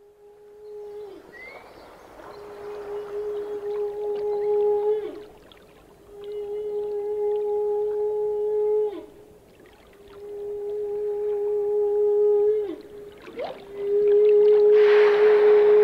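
A whale sings long, steady, mid-pitched moans, each held for several seconds and repeated after short pauses.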